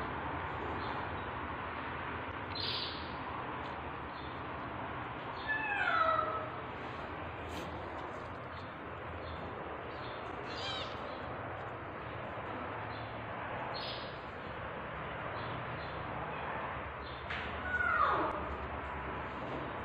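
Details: Tabby cat in labour, giving birth: two short meows with downward-sliding tones, one near six seconds and another near eighteen seconds, over a steady background hiss.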